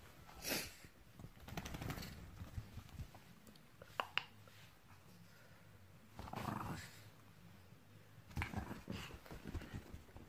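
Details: A 7-year-old male Shih Tzu gives short, rough huffs and grumbles, irritated after a self-grooming trim, bath and blow-dry.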